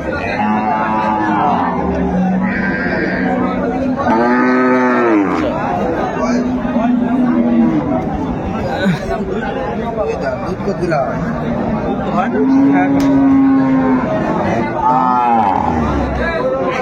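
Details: Cows with calves at the Ambari cattle market, Dinajpur, Bangladesh, on 28 February 2025: a series of arched, drawn-out moos and lowing calls spaced a few seconds apart, some rising then falling, beneath a busy crowd of bargaining voices.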